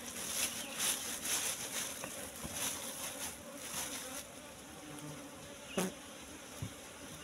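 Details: Asian honey bees swarming at a wild nest in bushes during a honey harvest. A constant hum sits beneath rustling and repeated handling noises, with one loud knock near the end.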